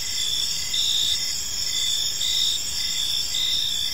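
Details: Park crickets at evening, several overlapping high, ringing trills forming an unbroken chorus, with slight rhythmic swells and a soft low murmur of ambient noise.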